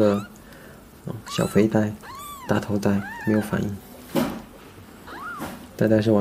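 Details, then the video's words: Small cat being scratched gives several short, high, arching meows that rise and fall, spaced a second or so apart, between stretches of human talking. "Tôi nghe nói rằng gãi con mèo nhỏ thì nó sẽ bị lật"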